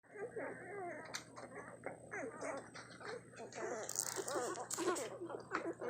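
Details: One-week-old puppies squeak and whine while nursing indoors in a hungry feeding frenzy; overlapping high, wavering squeals and grunts run continuously with some sucking noises and faint background hum.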